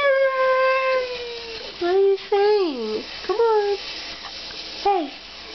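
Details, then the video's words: Pet Siberian Husky Demon vocalizing in an indoor 'conversation' with his owner: a long steady drawn-out tone that slowly falls, followed by several short bent, yodelling woo-woo syllables rising and dropping, with quiet pauses between. "Having a conversation with my husky"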